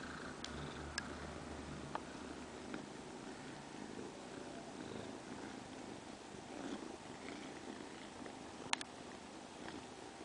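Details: Young female domestic cat beside her surrogate mother, purring in a soft, continuous low rumble, with a few sharp clicks and a brief snap near the end.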